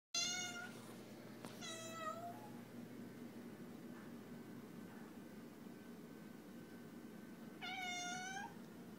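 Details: Domestic cat meowing indoors: a short harmonic meow at the start, another rising-falling one near two seconds, then a long quiet gap before a final drawn-out meow near the end, over faint low room hum.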